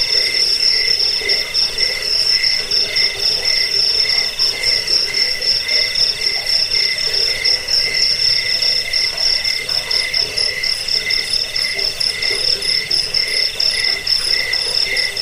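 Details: Cricket chorus offered for lulling people to sleep, driving off rats and training cage birds. High trilled chirps pulse steadily on several layered pitches, with no other sounds, the rhythm dense and unbroken throughout.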